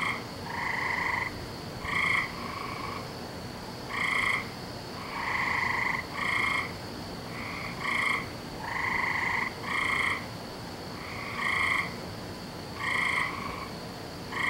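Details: Chorus of frogs on a May night, 17 May 2012, overlapping buzzy trills of varying length, some short and some over a second, rising and falling in waves roughly every two seconds against constant background hiss.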